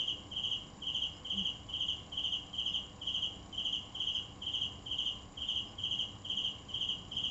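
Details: A cricket gives a long, even run of bright, high chirps, each a quick burst of pulses, about two per second, steady throughout.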